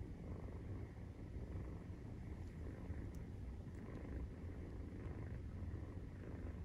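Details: Nursing Maine Coon kitten aged 43 days, purring; a dense, even low rumble throughout, with a few faint soft ticks above it.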